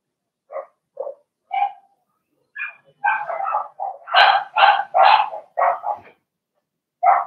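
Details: Cavalier King Charles Spaniel puppies, Blenheim litter of six in an indoor puppy pen, yapping in short high yips, starting sparse then building into a fast, dense cluster of louder barks before a final lone yip.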